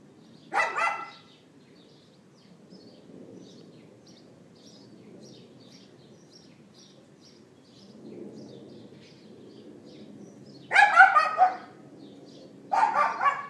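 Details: A neighbour's dog barking on April 18th 2012, late morning, captured with an iPhone 4S: an isolated yap, a long quiet stretch with faint high chirps, then a pair of clustered yaps close together.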